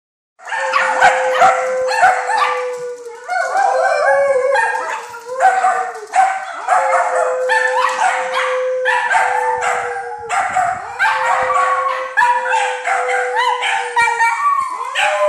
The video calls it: Howling Dachshunds